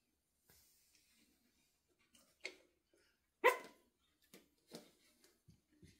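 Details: Pomeranian puppies about eight weeks old learning to bark, with a few isolated high, sharp yaps, one louder than the rest, and soft faint sounds between them indoors.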